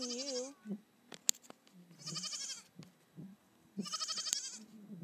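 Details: Nigerian Dwarf baby goat playing on a hill with another goat; three loud, wavering, nasal bleats, each about half a second long and spaced roughly two seconds apart, with faint clicks and soft low sounds in between.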